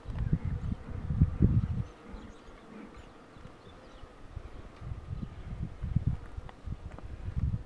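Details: Honey bees buzzing while the queen box is pulled, a low droning hum rising and falling in loud bursts separated by quieter stretches, with faint rustling in the background.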